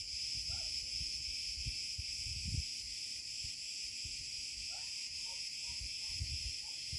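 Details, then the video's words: After sunset in a warm olive grove (34C), Cicada cretensis keep up an unbroken, shrill, hissing drone, with low crunching footsteps beneath and a few faint short chirps from another creature. "natural sound of Cicada cretensis"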